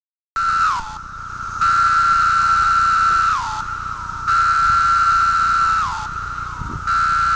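A cicada gives its mating call: a piercing, even whine with a harsh buzzy edge. Every two to three seconds each burst ends with a quick downward slur before the sound swells again.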